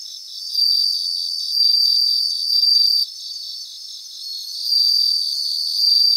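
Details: Grassland chorus of bell crickets: high, clear ringing phrases swelling in two long loud spells, separated by a quieter stretch of rapid, evenly pulsed chirping from other insects.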